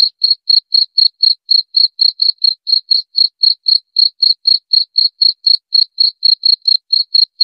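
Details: Steady cricket chirps, sharp and high-pitched, pulsing around four times per second without pause, from a recording meant to drive away rats; the background is completely quiet.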